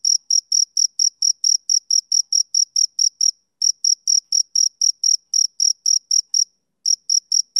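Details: A male cricket chirps on a summer evening in a quick, bright, ticking series of high pulses, about four per second, interrupted by two short silent breaks; no other sounds are present.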